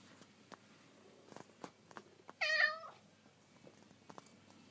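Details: Indoors, a house cat follows the camera and gives a single short, bright meow midway, with faint tapping and footstep clicks around it.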